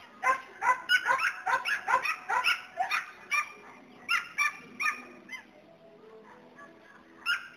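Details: Border Collie herding dog barks rapidly, around two barks per second for five seconds, then falls quiet before one final bark; a faint low tonal hum fills the pause.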